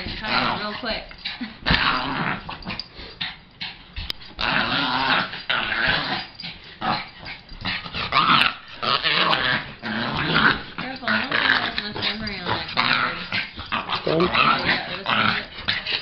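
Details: Lhasa Logan at play with a second dog, Penny: continuous grumbling growls rising into louder snarling surges, short breaks between bursts, with a person talking over the scuffle.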